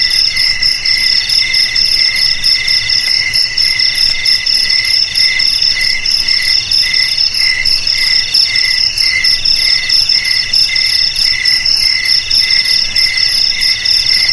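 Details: Crickets trilling without a break, bright high pulses spaced in regular bursts over a steady piercing background ring.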